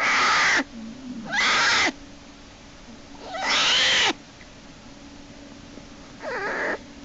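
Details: American black bear cub Jason, dragged back into Lily's den by his back leg by Hope on March 1, 2011, gives loud, piercing, wavering screams in long bursts separated by quieter gaps with a steady electrical hum.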